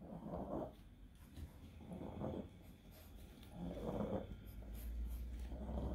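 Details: Seizing pug with encephalitis, straining hard: a few rasping, snorting breaths spaced under two seconds apart, over a low rumble that strengthens near the end.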